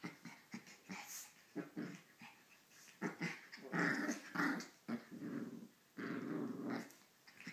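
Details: Pomeranian vocalizing to wake its owner indoors in a small room: a string of short, gruff growl-barks and huffs, irregular and choppy, with a longer rough growl near the end.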